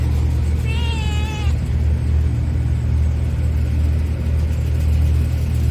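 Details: A cat named Myeolchi, tied on a leash, gives one drawn-out meow that holds a fairly level, slightly wavering pitch for under a second, over a loud, constant low engine-like rumble that continues throughout.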